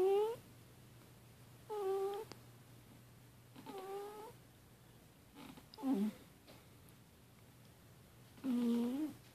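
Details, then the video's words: Annie, a female pet cat, asleep and possibly having a bad dream, gives five short, whimpering mew-like cries, each bending up then down in pitch, spaced about two seconds apart, over a steady low indoor hum. "Annie the cat snoring and or having a nightmare"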